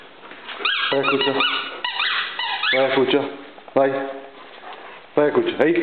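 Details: Irish Wolfhound named Cattleya giving drawn-out, moaning whines in several separate bursts, each sliding up and down with rich overtones, with short pauses between bursts.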